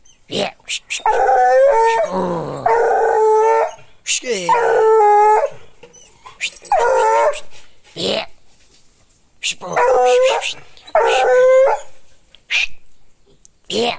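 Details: Howling American hound giving repeated long, quavering howls in pairs and bursts with wavering harmonic tones, broken by short sharp noises and brief gaps of quiet.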